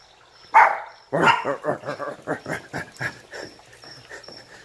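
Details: Fifty-day-old puppies in a pack playfully attacking a person: one sharp yelp, then a quick series of about a dozen short, rhythmic yaps and grunts fading out, with a person's voice nearby.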